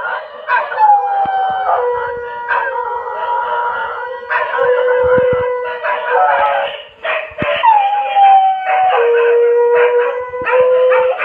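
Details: Dogs howling at 2 a.m. Several long, overlapping tonal wails, some gliding downward and others level or gently rising, start and stop in waves, with brief dips between phrases and a few faint clicks beneath.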